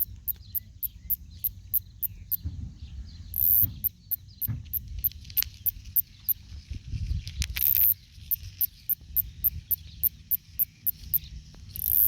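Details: Male Kikihia cutora cutora, the New Zealand northern snoring cicada: a steady train of thin high ticks, several each second, broken by brief harsher bursts, over constant low-pitched background noise.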